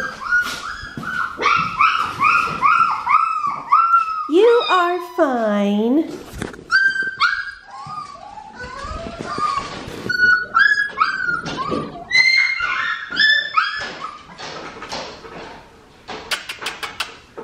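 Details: Red merle female Australian Shepherd puppy from an Oklahoma breeder, whining in a rapid series of high, thin whimpers that rise then fall, many in quick succession, with a woman's soft coaxing voice praising the pup in between.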